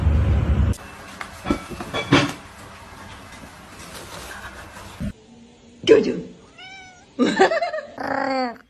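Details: Domestic cat giving several short, clear meows with bright harmonics, some rising then falling, in the final three seconds, after a stretch of clattering, thumping household noise and faint voices.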